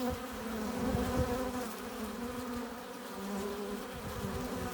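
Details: Steady buzzing of honey bees flying at the hive entrance while bringing in pollen and nectar; a low, even swarm hum with a few louder close passes early on.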